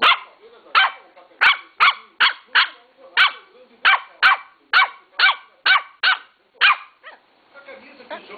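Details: Three-month-old Lhasa Apso puppy barking in a steady series of sharp, high yaps, roughly fourteen in eight seconds at an uneven pace, each bright and clipped, with faint voices and rustling trailing off at the end.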